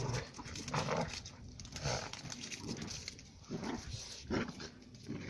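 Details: Central Asian shepherd puppies, two sisters named Giranda and Gardarika bred from Tajik flock guardians, brawl; harsh bursts of low growling and snarls come in irregular pulses, roughly once a second, amid scuffling.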